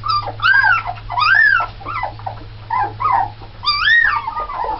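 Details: Nine red Alaskan Malamute puppies, born November 1st 2010, seven females and two males, let out loud arching whines that swell and fall, several pups crying in turn with short gaps between, a low hum underneath.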